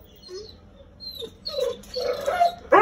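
An American Akita gives soft whining yips, then a sudden sharp bark at the end.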